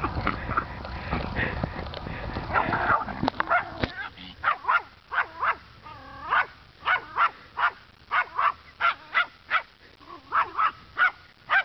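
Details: Dog barking at a neighborhood scarecrow around 3:30 p.m., noisy rustling at first, then a steady run of short sharp barks about two per second, some with yelping, rising-falling tones.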